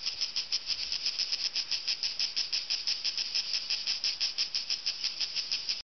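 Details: Cicadas in trees on a mountain in hot summer buzz loudly and steadily, a shrill call pulsing in rapid, even beats, loud enough to drown out conversation and lasting for hours.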